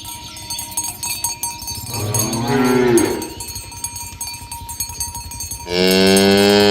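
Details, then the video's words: Tame village cows herded along a road toward their pen in the morning: one drawn-out, wavering moo, a quiet stretch of cowbell clanking, then a second loud, steady moo near the end. "Suara Sapi Moo"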